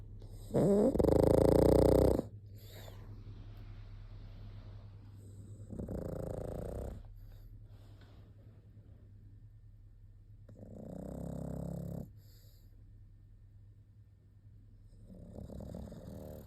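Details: Pug snoring in a slow rhythm, four rough, vibrating snores roughly every four to five seconds, the first loudest and later ones softer, with a low hum between breaths.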